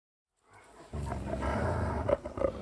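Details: Growling dogs in a binaural 3D ambient recording: after brief quiet, a deep, rough, rumbling growl swells in and holds steady, with a couple of sharper snarling accents near the end.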